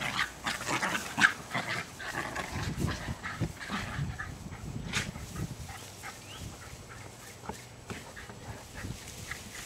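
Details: Play fight between pet Jack Russell Terriers Jasper and Jaclyn, almost two years old, chasing each other over lush new sod in a Lenexa, Kansas backyard, 5/5/09; rapid, irregular rough growls and snorts, loudest early, then tapering.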